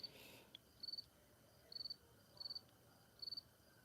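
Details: A field cricket gives soft, high chirps of three or four quick pulses over a steady, non-stop chorus of unidentified crickets, on the evening of 29 August 2023 at a backyard moth light in Cormierville, New Brunswick, Canada, about 18–19°C, windless, thin overcast.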